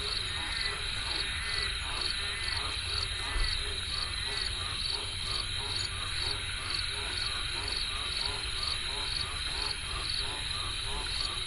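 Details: River frogs in full chorus: overlapping low pulsed croaks rolling on continuously, with regular short high chirps, like crickets, ticking over a constant background hiss.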